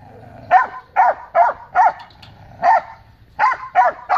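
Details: Great Dane and companion dogs barking at loose dogs that came to the yard gate, defending the yard; loud, harsh barks in uneven bursts, about eight barks over four seconds with short pauses.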